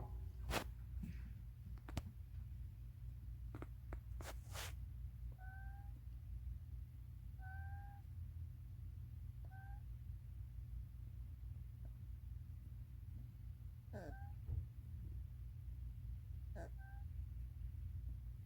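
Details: Mong, a baby raccoon, asleep after a full, tiring day and snoring with a whistling "pishuung" sound; short, thin whistled squeaks recur about every two seconds over a steady low hum, with a few sharp clicks early on.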